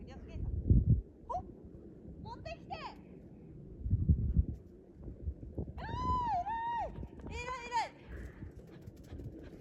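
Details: Rescue dog Gen-san, now grown, playing fetch outdoors; several drawn-out, arching whine-like cries with rich overtones come late in the clip, mixed with women talking and thumping noises.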